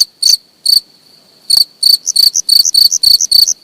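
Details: Cricket heard up close giving a few spaced high chirps, then a quicker string of pulses at about three to four per second; silent background.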